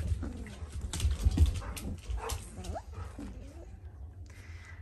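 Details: Four-week-old Dalmatian puppies whimper and whine, giving short curved, wavering cries spaced through a few seconds over a steady low rumble of background noise and rustling.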